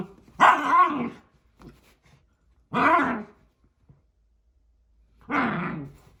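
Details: Ivy, a Cockapoo puppy, indoors in a small room; three separate short, harmonic barks with a wavering, slightly whiny pitch, spaced about two and a half seconds apart, with quiet pauses between them.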